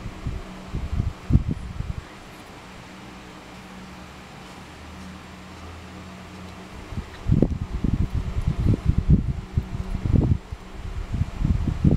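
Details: A constant fan drone runs throughout, with low rustling and bumping noises at the start and again in the second half, and no calls from any animal.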